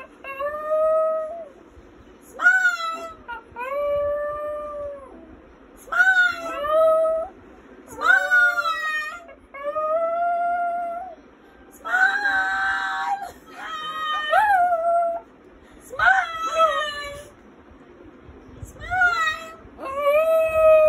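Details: Brown male Lhasa Apso singing together with its owner: a series of howls, each one rising then held or falling, repeated about every two seconds with short gaps, some ending in quivering whines, one stretch sounding rougher and noisier.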